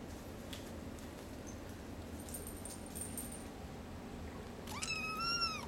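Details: Hairless Sphynx and Bambino kittens from a cattery litter, indoors; after several quiet seconds of faint room noise, a single clear, high, arching meow sounds near the end.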